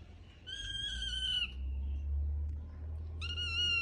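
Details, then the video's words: Kitten meowing in a short funny pet compilation: a high, clear, strongly tonal meow lasting about one second, then a second shorter meow near the end, over a steady low hum. "Cute kittens with original sound"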